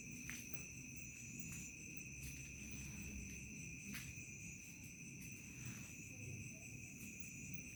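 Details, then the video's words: Crickets calling in a village from dusk toward night: a sustained piercing high tone plus a lower steady whistle, punctuated by scattered short clicks, over low muffled background noise. "SUARA JANGKRIK SENJA MENJELANG MALAM"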